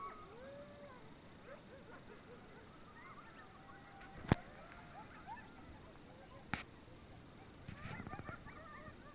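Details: Coyotes at sunrise, heard on a bike ride: several distant voices in overlapping wavering howls and short yips, thin and high, with a few sharp clicks and faint low rumble.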